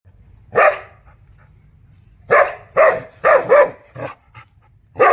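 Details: Big dog giving loud, deep barks: one bark, a pause of nearly two seconds, then a quick run of four heavy barks and a softer trailing one, with a faint steady high hum throughout.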